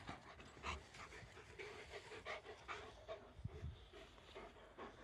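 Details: Playful Komondor running and jumping, panting in rapid broadband huffs, several a second, with soft low thuds of movement underneath.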